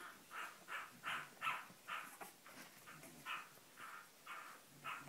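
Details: Cavalier King Charles Spaniel barking steadily, roughly a dozen rough, mid-pitched barks spaced about half a second apart over a faint background hiss.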